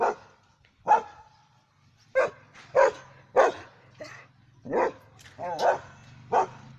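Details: Pet German Shepherd Dog barking, loud clipped woofs at uneven intervals, a few softer yelping barks between them, over a faint steady low hum in the background.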